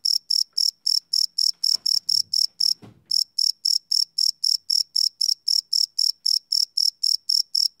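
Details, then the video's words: Cricket at night, recorded live with a field recorder, giving a fast stream of sharp, high chirps about four per second, with a short break near three seconds where a soft low thud or rustle is heard. "Cricket Chirp Sound - Cricket Sounds at Night"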